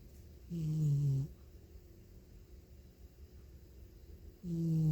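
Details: A feral cat snoring loudly in its sleep, one of three strays living at a house in Northwestern Oregon: two low, droning, buzzy snores about a second long, separated by several seconds of quiet breathing.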